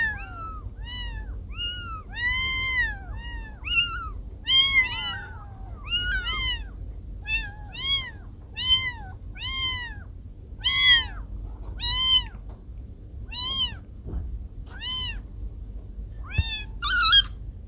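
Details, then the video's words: A cat, whose calls are said to scare off rats, gives a long run of about seventeen short arching meows, roughly one a second, some doubled, ending in a harsher burst. "Suara Kucing Pengusir Tikus"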